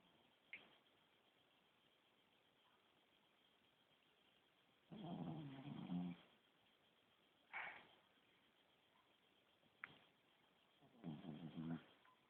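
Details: Small Shih Tzu dog snoring loudly while asleep indoors: two rasping, rattling snore breaths about six seconds apart, each lasting around a second, with a few soft clicks and a quiet hiss between.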